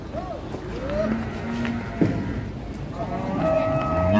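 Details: Sacrificial cow at Siyono Harjo market, rampaging as it comes down off a truck. Several drawn-out, wavering low moos with people talking and engine or vehicle noise behind.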